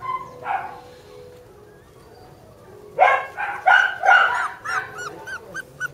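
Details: Border Collie puppies, sister littermates, giving a brief early yelp then a run of sharp high yaps and squeaky whines after three seconds, irregular and overlapping.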